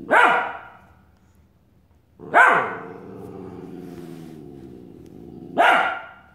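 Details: Australian Shepherd puppy confronting his mirror reflection with three separate, emphatic barks spaced a few seconds apart, low indoor hum continuing between them.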